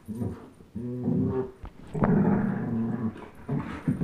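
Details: Chase, a 10.5-month-old German Shepherd, and Blizzard, a one-year-old Old English Sheepdog, in tug of war; short rumbling growls with a tonal, moaning quality and a brief sharp knock midway.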